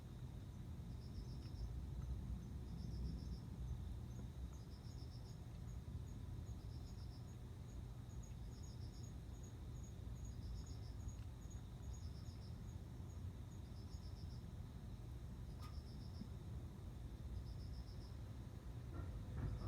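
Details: Male cricket singing to court a female before mating: short, high, pulsed chirps of a few rapid beats, repeated about once a second in a steady series, over a constant low rumble with one sharp click late on.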